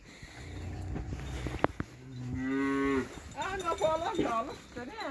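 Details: A Montafon cow kept for livestock gives one drawn-out, steady moo lasting under a second. Wavering voices and farmyard sounds follow it.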